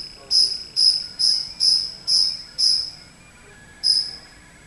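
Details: A cricket that wandered indoors into a house sings six high, ringing chirps about half a second apart, then after a brief silence adds one more against a quiet background.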